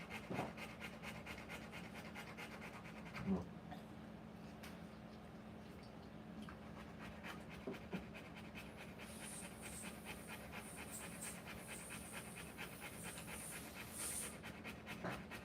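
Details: Rottweiler in labour giving birth to puppies, fast steady panting with occasional louder breaths and a faint high hiss in the second half over a constant low hum.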